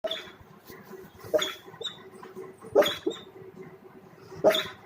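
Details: Sleeping dog making funny sounds: short breathy snorts and squeaky bursts at irregular intervals, about four in five seconds, with a faint steady tone beneath.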